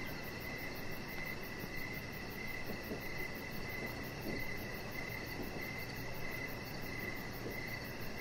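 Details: Crickets in the evening, recorded outdoors on a deck: a continuous series of short, high chirps in a steady rhythm, a finer fast pulsing higher still, and a dull low rumble underneath.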